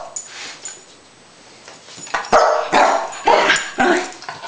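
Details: Spike, a rat terrier, performing for a jump cam: after a quiet start, a run of short sharp barks roughly every half second, with noisy bursts and clatter between them.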